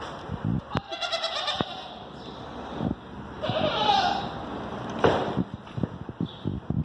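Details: Screaming goats at a zoo give several harsh, nasal bleats of uneven length, rising and breaking, amid clattering knocks and footsteps, with faint human voices.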